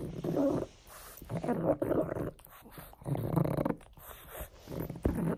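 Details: Frank, a pet pug, growls while playing with a bone; gruff, grunting rumbles come in irregular bursts about every one and a half seconds, mixed with snorts and a faint human voice.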